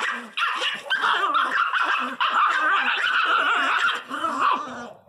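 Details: Miniature Pinscher named Teco, a pet dog, crying very loudly in a fierce outburst: a continuous stream of high, whiny, wavering yelps and whimpers with short barks, with hardly a pause over five seconds.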